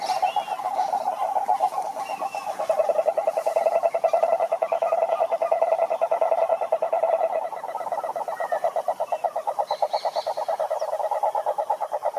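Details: Many frogs singing in a pond, a steady stream of fast, evenly pulsed croaking notes at mid pitch, with a few faint higher calls in the background.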